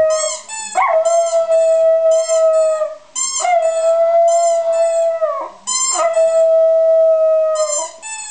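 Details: Westie dog singing in long drawn-out howls, three sustained steady-pitched notes each lasting about two seconds, separated by brief breaks; faint rhythmic music underneath.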